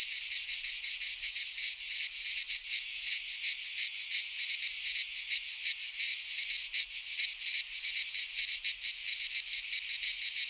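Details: Midsummer chorus of cicadas in a pine forest in Greece, an intense high rasping drone with fast irregular pulses and brief dips, continuing without pause.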